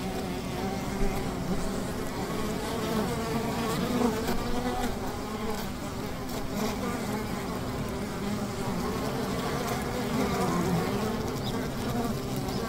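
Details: Many honey bees humming at their hive near a river, a deep sustained drone with slight surges in volume and shimmering overtones.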